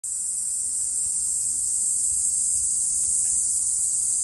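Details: Cicadas in full summer chorus at the Fukuoka Castle Ruins, Japan, on 16 July 2023: a steady, high, hissing buzz that never lets up.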